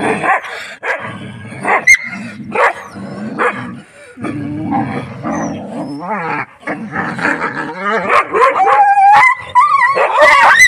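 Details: House dog and village dogs meeting: a dense tangle of barks, yips and short growls, rising into high, drawn-out whines toward the end.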